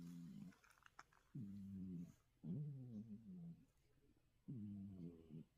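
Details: Indoor snoring of Oryong, a mackerel tabby cat, at remarkably loud volume: four deep, buzzy snore breaths of about a second each, separated by short quiet pauses in a small room.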